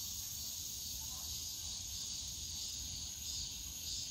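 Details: Continuous shrill drone of cicadas in a bamboo forest at Yongsan Family Park on a summer day, steady and even across the short stretch over soft low background noise.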